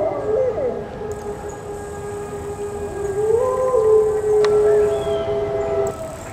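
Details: Mexican gray wolf howling on a snow day at the Endangered Wolf Center; a long, steady, drawn-out tone that holds level, briefly lifts and wavers midway, then sustains, with a fainter overlapping howl alongside.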